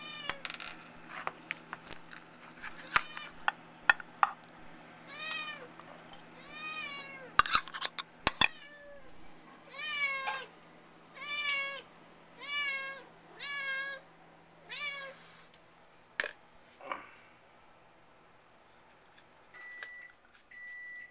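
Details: Pair of pet cats indoors, one frantically licking an empty food can, the other guarding its share; taps and clinks at first, then a run of about eight steady, evenly spaced meows, then quiet.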